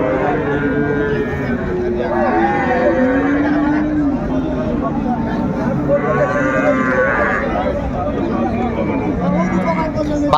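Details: At the Ambari cattle market, Dinajpur, 31/1/25, among cows and calves being traded: a low moo early on and a louder bellowing call past the midpoint, with continuous haggling voices and market din throughout.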